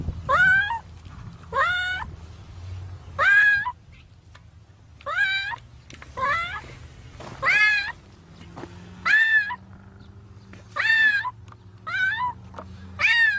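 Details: Cat stuck in concrete up to its head inside a pipe, meowing loudly and repeatedly, harmonic rising-falling cries roughly every one to two seconds, with low rumbling machinery or ground noise and people talking nearby.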